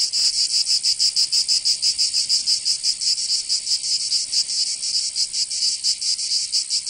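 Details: Cicada song on a summer day in Provence, France: a high, raspy buzz swelling and dipping in quick irregular pulses, the throbbing growing a little more uneven toward the end.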